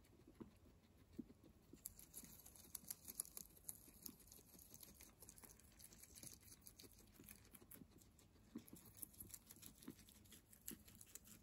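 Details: Guinea pigs chew fresh herbs with soft repeated crunches and sharp little bites, a busy patter of munching steady from start to end, plus light leaf rustle.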